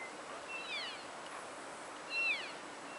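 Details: Wintering elk at the Oak Creek Elk feeding station in Oak Creek wildlife area, Washington: two high, squealing chirps with layered harmonics, each sliding downward, about one and a half seconds apart over a steady background hiss.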